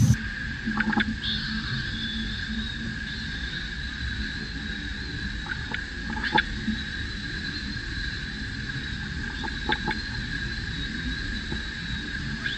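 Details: Baby macaque that has lost its temper, jumping and crying: a long, thin, high whine held steady with slight wavers, breaking off and resuming, over a constant lower tone, scattered clicks and a rumbling background.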